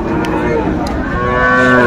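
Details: Sahiwal bull calf, about seven to eight months old, at a Faridpur cattle market during bargaining: a steady, low, droning harmonic lowing that runs through the moment, with voices and market bustle around it.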